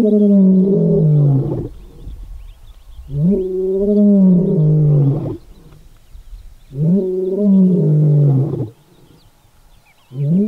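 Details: Lion roaring in the Kgalagadi, Kalahari, a call said to warn other lions off its territory and locate pride members: long, deep, harmonic moans with a rising onset, repeated about every three seconds, separated by quieter gaps.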